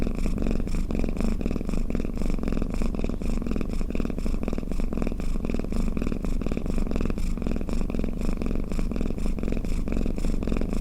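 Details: House cat purring and snoring, a constant throaty rumble with rhythmic breathing swells, steady in loudness and free of background noise.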